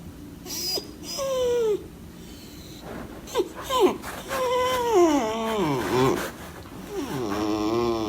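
A beagle whines in drawn-out, quavering notes that slide downward, broken by short sharp yelps.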